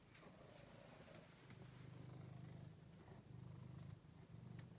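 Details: Soft, low pulsing purr of Angelus, a male pet cat taken in after being found thin and sick in a basement, the rumble swelling and fading in breath-length stretches.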